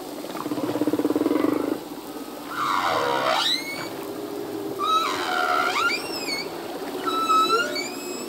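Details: Humpback whale male song in the ocean, possibly to attract a mate or defend territory: a buzzy pulsed groan, then sweeping whistled cries that dip and rise, followed by high thin upward-curving squeals.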